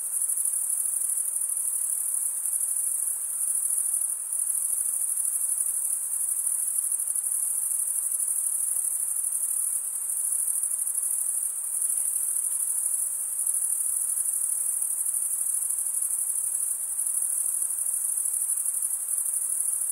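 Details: Steady chorus of stridulating crickets, males chirping as the top of one wing scrapes the serrated vein beneath the other; a piercing high monotone trill runs without pause for twenty seconds over low background hiss.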